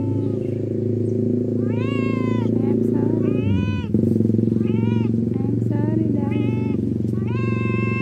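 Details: Cat making a string of short, arching meows, roughly six calls over several seconds, over a loud low engine-like rumble and some human speech.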